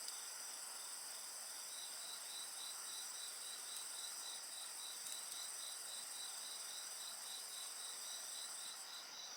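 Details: Steady insect song beside a bonfire: high ringing trills that never pause, a regular pulsing chirp about four times a second beneath them, and occasional faint snaps of the fire.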